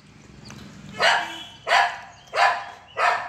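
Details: A 45-day-old Saint Bernard puppy, having curd, gives four short, sharp barks spaced roughly every 0.6 seconds. Each bark is bright and rough-edged, and a soft room hum sits beneath them.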